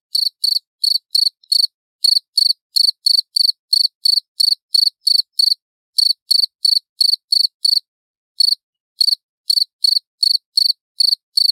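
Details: Clear, loud cricket song of evenly spaced, high, ringing pulses, slightly over three per second, continuing for long runs with one brief break partway through and silence behind.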